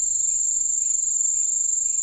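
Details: Crickets calling at night while a German shepherd dog reacts to them. A loud, shrill, continuous high trill holds steady without a break, with faint softer chirps repeating underneath about every half second.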